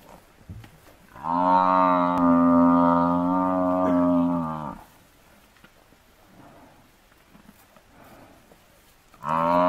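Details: Massive African buffalo bull under attack by four male lions, giving a long, loud, harmonic-rich bellow of about three and a half seconds, steady in pitch. After a quiet gap, a second bellow begins near the end.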